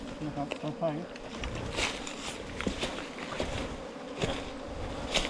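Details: Continuous low humming of honey bees in a nest inside a long bamboo stem, 4 metres in length, with a man's voice near the start and light tapping sounds.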